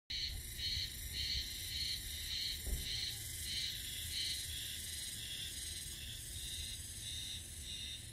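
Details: Japanese spring cicadas in Mihama, Fukui, at 11:05 on 7 May sing in steady, high pulsing phrases repeated about twice a second.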